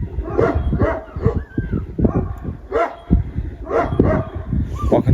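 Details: During a storm, shepherd dogs bark hard and repeatedly as they chase off three wolves that came at once. The barks are deep and rough and tumble over one another.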